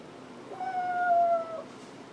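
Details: Rosie, a little female dog, calls out because she misses her owner when he goes into the office; a single drawn-out, steady whining howl lasting about a second, sagging slightly in pitch at the end, in a quiet room.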